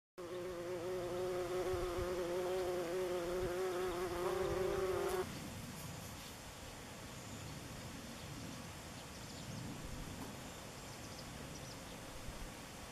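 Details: Buff-tailed bumblebees (Bombus terrestris) making orientation flights over their nest in Northern Germany on 27 June 2015: a steady, low droning hum with rich overtones for about five seconds, then it cuts off abruptly to a quiet, rustling background.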